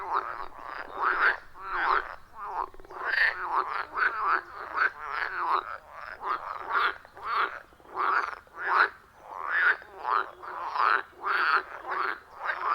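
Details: Wild frogs calling loudly around a forest pond deep in the woods, iPhone 14 Pro with Shure MV88+; rhythmic harsh croaks repeat steadily several times a second, rising and falling in waves, nothing else audible.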